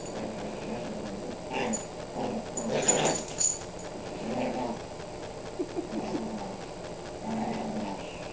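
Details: Female pet dog playing with her toy, giving short low growly whimpers and whines in bursts, with a louder cluster around the middle and quieter rumbling between.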